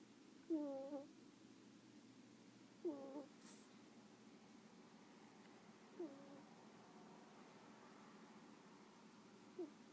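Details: Pet ferret asleep indoors, giving soft squeaky snores: four brief descending whistly squeaks with faint overtones, a few seconds apart, against a low steady room hum.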